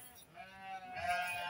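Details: Sheep at a farm in Grabag during a health check on 24 May 2022: a drawn-out, nasal, harmonic bleat that swells and brightens halfway through, over faint background noise.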